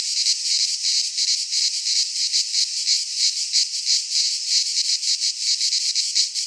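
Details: Cicadas singing in a Greek pine forest in midsummer: a dense, continuous high buzzing shrill that pulses rapidly, with no other sounds heard.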